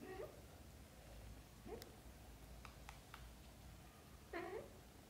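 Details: Three brief meows, the last one louder and wavering, spaced over five seconds as kittens wake and ask the mother cat to play outside, with faint clicks between the calls.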